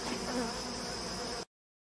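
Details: Dense droning hum of many bees dispersing from a hive while honey is cut out by hand, continuous and even for about one and a half seconds before cutting off abruptly.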